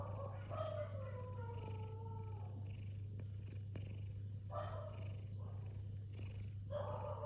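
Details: Domestic cat sleeping comfortably, snoring in raspy, breathy bursts that rise and fade with each breath, a long drawn snore followed by shorter ones every couple of seconds, over a steady low electrical hum.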